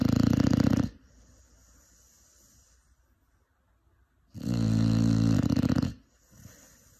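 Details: Sleeping Cane Corso puppy, five months old: two heavy, grating snores roughly four seconds apart, the second longer and wavering, separated by near silence.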